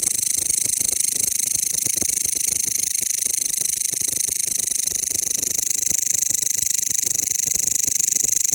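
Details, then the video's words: A Mecopoda elongata bush cricket keeps up a loud, high, rasping chirp of rapid pulses, slightly less even in rhythm, continuous from start to finish with nothing else audible. "タイワンクツワムシの鳴き声 / Mecopoda elongata Chirping"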